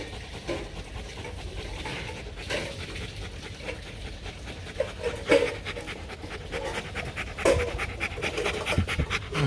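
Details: Bruno, an imported male Rottweiler stud dog at a kennel in Thúy Lĩnh, Hoàng Mai, Hanoi, Vietnam, panting in soft, rapid breathy puffs over a steady low background hum, with a few louder breaths standing out.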